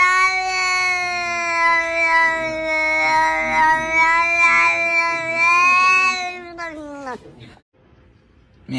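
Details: A cat gives one long, drawn-out, steady meow. It holds an even pitch for about seven seconds, then slides down and breaks off into near silence.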